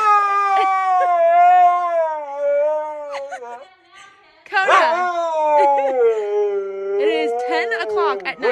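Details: Siberian Husky 'talking' at 10 o'clock at night at bedtime: long, slowly gliding yodel-like howl, a brief pause, then a second wavering howl with sharp yips, a person speaking nearby.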